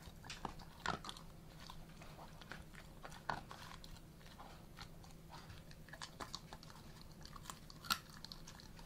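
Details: Alaskan Malamute eating a duck carcass, calm with no aggression while a hand is near its mouth; quiet crunching and chewing of bones with occasional louder cracks over a steady low hum indoors.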